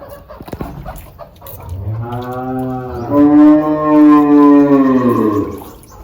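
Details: Cattle on a farm, with a newborn calf that cannot stand: a long, drawn-out harmonic moo that swells in loudness midway and then fades, over low background noise.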